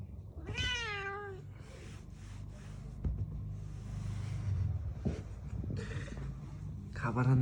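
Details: Angry house cat indoors: one sharp falling meow near the start, then low rumbling and soft noise bursts, ending in a short second yowl. A person speaks Bengali to it in the background.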